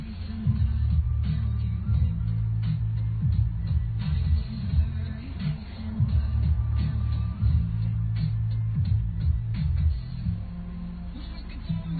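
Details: Muffled low-pitched music with a steady bass line plays throughout, without any animal sound.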